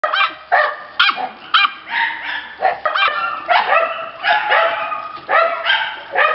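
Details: Red female Shiba Inu puppy giving high, yappy barks and yips in quick bursts, about ten sharp calls, some drawn into short whiny wails, with a thin steady tone faintly behind.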